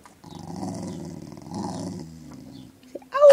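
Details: Pet dog sitting on a person's lap indoors, 'talking' to ask for treats: a drawn-out, moaning, growl-like voice in two long phrases, then a lower trailing note, ending in a sharp rising yelp, with the owner speaking around it.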